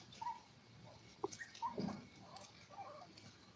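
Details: Five-week-old Toy Poodle puppies, part of a litter of seven, give short, high, thin whimpering squeaks scattered through the moment, with soft rustling and faint clicks from the pen around them.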